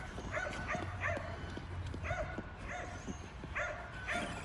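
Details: Kerry Blue Terriers playing with a Traxxas E-Revo RC car bark repeatedly, short harmonic yaps roughly every half second over steady low engine hum.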